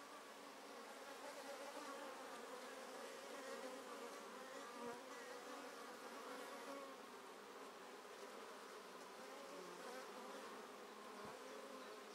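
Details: Busy honey bees around the entrance holes of a top bar hive being split, with sealed queen cells and much drone activity; a dense, steady, low droning hum of many bees flying.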